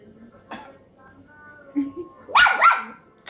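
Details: Tracie, a pet female Chihuahua, is angry after being given a piece of food and told no more. She gives two quick, shrill barks near the end, following a man's calm speech.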